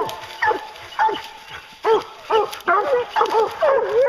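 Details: Hounds used for bear hunting bay over and over, each cry a harsh, quavering howl about every half second that grows into a steady chorus, while hunters talk in the background.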